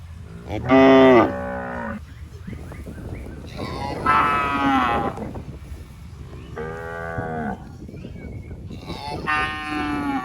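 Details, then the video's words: Healthy, tame cattle wandering in a rice paddy, grazing on grass; four moos, one loud and short, others longer and strained, over a noisy rustling background. "Suara Sapi Moo, Lembu Sedang Makan Rumput"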